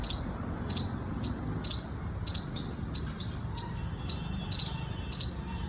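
A squirrel gives sharp, high chips repeated about twice a second over a low background rumble.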